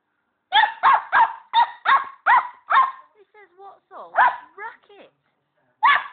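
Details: Border Collie pup, female, meeting a pet hamster: a run of seven rapid yelping barks, then soft whiny squeaks, followed by another yap.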